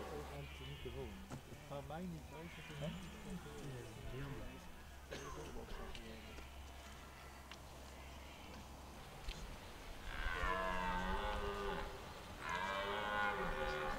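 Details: Red deer roaring in the rut at Hoge Veluwe park, 2023; people talk softly for the first half, then two loud, sustained bellows follow one after the other, with a low hum underneath.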